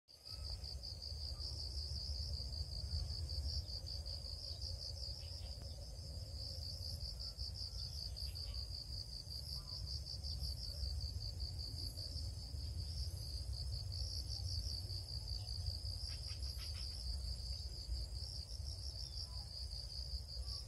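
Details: Cricket chirping in a steady stream of rapid, high-pitched pulses that runs unbroken for the whole stretch, over a constant low rumbling background noise.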